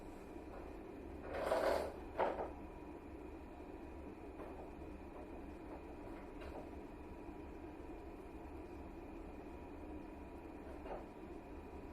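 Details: Soft indoor hum with a couple of brief thumps and knocks early on, then quiet room noise.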